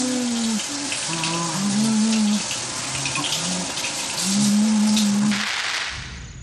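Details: Sped-up elephant infrasound, made with vibrations as air moves through the nasal cavities and audible only at ten times normal speed: long, even, low moaning tones in a few separate calls against a constant rushing background.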